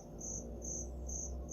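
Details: Cricket concealed inside a shop calling loudly, three bright high chirps spaced evenly in a brief stretch, with a low steady room hum underneath.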